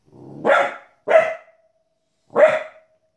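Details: Indoors, a 15-week-old female Border Collie puppy barks at animals, including wolves, on TV: three harsh, forceful barks in quick succession, the first preceded by a low rumbling hum.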